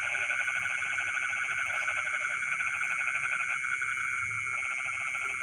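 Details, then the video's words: Rice-field frogs calling at midnight, an almost unbroken stream of fast rhythmic croaks layered over a continuous shrill insect background. "the sound of frogs singing in the rice fields in the middle of the night"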